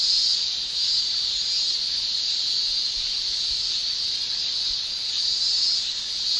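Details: Shrill tymbal song of male cicadas on a Japanese summer day. A dense, constant high whine holds steady throughout, without clear pauses.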